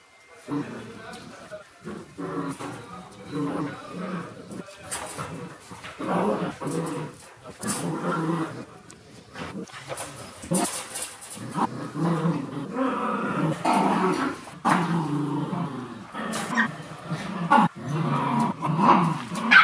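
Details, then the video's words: Shiba Inu puppies in the morning, giving wavering, whiny cries and short yelps in irregular bursts, loudest toward the end, with human voices mixed in. "Ambiance du matin avec les chiots shiba"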